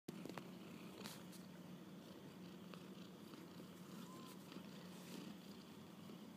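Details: Kittens out on their first walk about, purring steadily: a low, continuous hum runs through the whole stretch, with a few faint clicks and rustles above it in a quiet setting.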